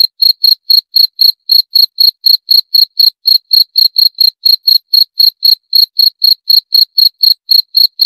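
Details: Unbroken run of crisp, high cricket chirps, evenly spaced at about four a second, each a short bright pulse with a fainter higher tone above; quiet background.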